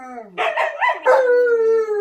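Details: Two dogs, a Siberian Husky and an Alaskan Malamute, give a rich, wavering howl that rises and then settles into a long sustained tone.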